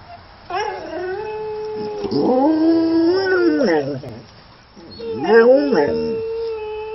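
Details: An English Springer Spaniel howls in long, wavering tones that rise, hold and fall, answering another Springer Spaniel howling in an online video.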